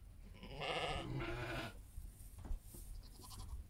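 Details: Heidschnucke sheep among their lambs giving one long, loud, wavering bleat lasting over a second, followed by quieter rustling and shuffling sounds and low background rumble.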